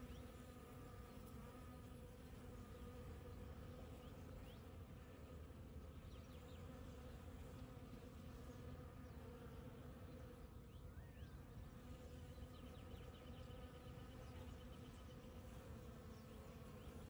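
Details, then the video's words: Morning in the desert after rain, with bees working fresh blooms: an unbroken low, even buzzing drone from several insects, with a soft distant whistled note about two-thirds of the way through. "Desert Bees! Monday Morning Pollinators! Bees !!"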